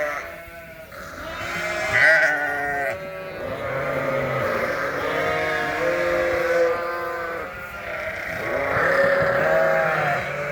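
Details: Ewes and lambs indoors at feeding time on a winter farm, calling loudly for breakfast; repeated quavering baas from several animals, some deep and some high, overlapping in a busy, noisy flock chorus.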